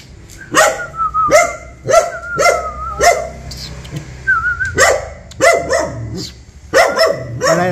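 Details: ['Dog barking at a stranger: evenly spaced single barks about every half second, then a faster flurry of barks. A human whistle rises and wobbles during a lull.']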